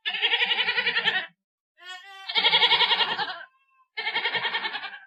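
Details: Goat bleats in three bursts, each harsh and strongly vibrating with a rapid quaver, the middle one beginning with a smoother tone before turning tremulous.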